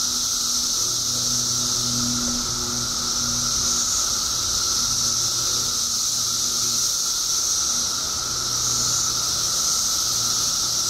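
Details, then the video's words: Periodical cicadas in Illinois, emerging by the billions after 17 years underground, fill the air with a dense, unbroken high hiss. A steady lower droning tone runs beneath it, and faint low hum sits at the bottom. "Billions of Periodical Cicadas Emerge After 17 Years Underground Cicadas Making Noise"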